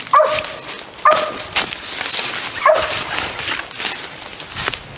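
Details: Six-month-old hound Jax has a raccoon treed. Three sharp, loud barks spaced about a second or more apart rise over a steady hiss of outdoor noise.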